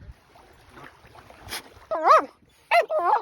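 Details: Finnish Lapphund dog, sound asleep and dreaming, giving short high whimpering yips in two or three quick bursts after a quiet stretch of soft breathing.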